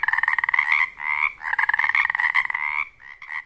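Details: Male Pacific chorus frogs in mating season, positioned near rocks or logs to amplify their song, give raspy, pulsed two-part croaks in quick overlapping bursts to attract females.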